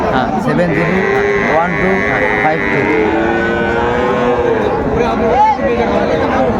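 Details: At Raniganj cattle market, Dinajpur, Bangladesh, Friesian and crossbred bull calves bellow in long, level tones lasting several seconds. One voice is higher and nasal. A busy crowd murmurs underneath.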